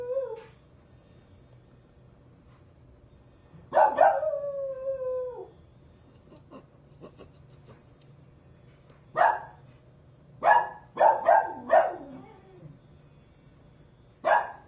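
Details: Dog making one brief falling howl early on, then a series of short sharp yips and barks in quick clusters across the remaining seconds.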